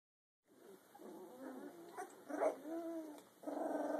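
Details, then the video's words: Rottweiler mix puppy, two weeks and two days old, making soft wavering whines and squeaks. The calls rise and fall, with a louder squeal near the middle and a steady whimper at the end. "Rottie mix puppy sounds"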